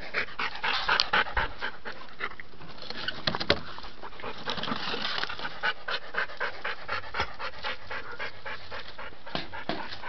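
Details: A pet dog pants heavily after its toy becomes stuck out of reach. Fast, regular, breathy huffs continue throughout with a few sharper scuffing knocks. The owner had just spoken to it.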